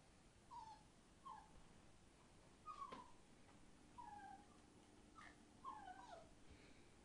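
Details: Thirty-six-day-old Entlebucher Mountain Dog puppies of the Torheide D litter in a pen near a cow shed whine in brief descending squeaks, roughly one each second, over a quiet indoor background with a faint steady hum.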